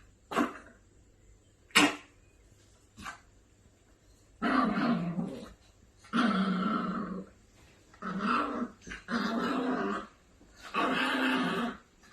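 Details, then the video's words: Angry Maltipoo puppy indoors, giving a few sharp clicks then long rasping growls in bursts of about one second, repeated several times with short pauses between them. "Angry maltipoo puppy"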